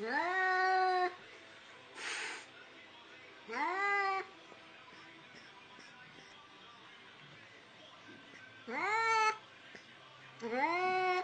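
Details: Domestic cat meowing repeatedly: four short rising meows with rich harmonics, spaced irregularly over about eleven seconds, with a brief noisy burst in between and quiet background.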